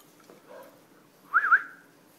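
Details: A 9-week-old English Bulldog puppy gives a brief, high, wavering whine that rises and dips twice.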